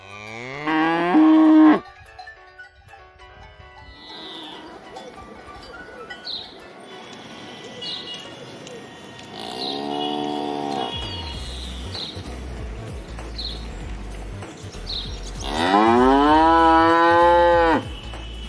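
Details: Domestic cows and calves mooing: a loud harmonic moo at the start, a mid-pitched moo near the middle and a long drawn-out rising moo at the end, with bird chirps and a faint ringing cowbell between calls.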